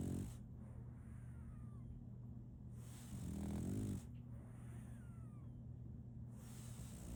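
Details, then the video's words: Sleeping female French Bulldog puppy snoring: one drawn-out, low rumbling snore swells midway through, with quiet breathing and a steady low hum before and after. "RONQUIDO de un French Bulldog"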